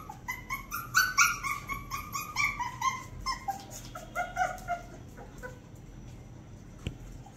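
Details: A 45-day-old Shih Tzu puppy gives a rapid series of high, squeaky whimpers and yips.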